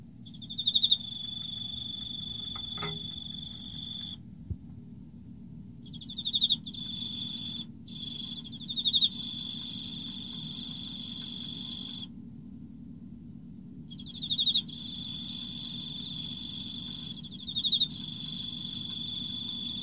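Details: An Emma field cricket sings in autumn, a clear, high, ringing trill in rolling bursts with short pauses between; mating also occurs later in the recording.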